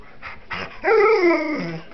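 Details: Small dog and big dog fighting over a chair out of jealousy; a brief soft huff then a drawn-out strained whine-growl, rising and falling slightly over about one second.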